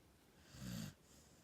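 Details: A dog aged one year eleven months snoring while asleep: a single short, low rumbling snore lasting about a third of a second, set against a steady soft hiss.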